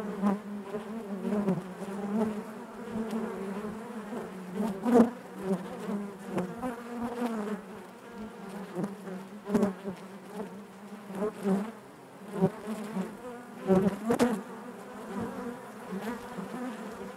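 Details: Honey bees buzzing inside their hive, a dense steady drone with a strong low hum and layered overtones, swelling and fading with occasional louder passes and faint clicks.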